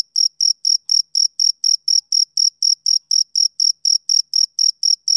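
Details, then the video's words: Shrill male cricket chirps, each a short high pulse with a thin upper overtone, repeated about four times a second in a regular beat against silence. "Cricket Chirping Sound Effect"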